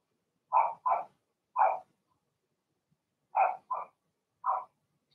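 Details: Cavalier King Charles Spaniel puppies, six Blenheims in a home puppy pen, yapping in quick pairs and singles: two barks, one more, a short gap, then three rapid barks.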